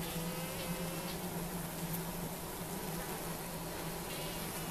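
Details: Colony of Asian honey bees in a Cambodian top bar hive at Siem Reap, handled calmly with no smoke; a low, even drone holds steady with a fainter higher hum over a hissy background.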